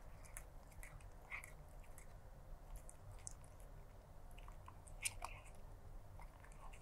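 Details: Stray black cat eating food, recorded close up: irregular crunching and chewing clicks, sharp bursts every half second or so, over a steady low hum.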